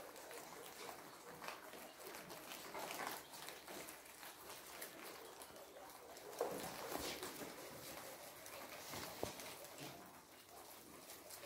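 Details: Kohlrabi being eaten by guinea pigs: continuous fine crunching and rustling, irregular bites throughout, a couple of sharper snaps near the middle and later on.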